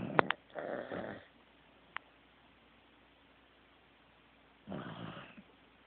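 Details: Asleep, Teddy the Corgi lets out a gravelly, rasping snore after a couple of sharp clicks. Silence follows for about three seconds, then a second drawn-out, buzzy snore.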